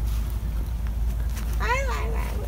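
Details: A cat meeting a person it likes gives one clear meow late in the moment. The meow rises, then falls and trails off, over a steady low background hum.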